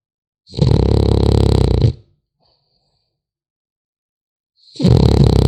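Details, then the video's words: A sleeping French Bulldog puppy gives deep, buzzing snores, one long rasping breath of about a second and a half, then quiet, then the next snore starting. "Храп щенка французского бульдога"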